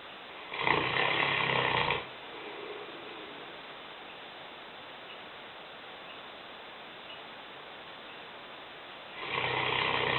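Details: Heavy snoring from Lena, a 150-pound five-year-old Newfoundland dog asleep in the kitchen; a harsh, buzzing snore near the start and another beginning about seven seconds later, with faint hiss between.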